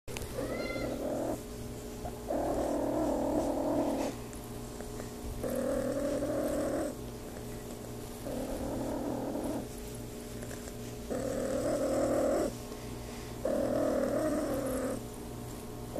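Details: RagaMuffin cat purring while being petted, a steady rumbling purr in long pulses about every one to two seconds, alternating breathing in and out, with a brief higher meow-like sound at the very start.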